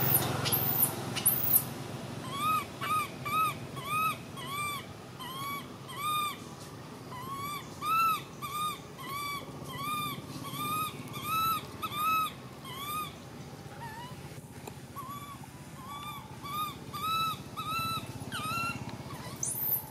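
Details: Baby monkey screaming in runs of short arched whimpers, fast and uneven, broken by brief pauses, with shrill high squeals at the start and end and constant low hum beneath.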